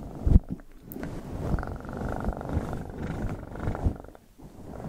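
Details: Domestic cat purring for ASMR, a low, rough rumble with fine rapid pulsing, uneven in level, with a few sharp clicks and soft rustles.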